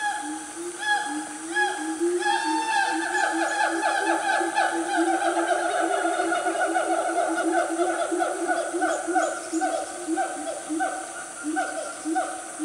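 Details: Wild siamangs, a loud family group, in Gunung Nuang forest, Selangor, Malaysia, mid-morning around 10 am. A continuous, busy chorus of low booming hoots under fast, stacked whooping notes that rise and fall throughout.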